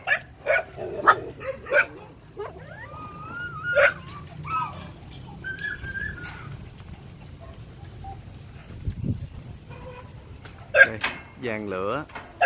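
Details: Phu Quoc Ridgeback puppies at a kennel in Saigon give thin, high whines and short whimpers, some rising and wavering, scattered between brief yips, with faint human voices and handling noise nearby.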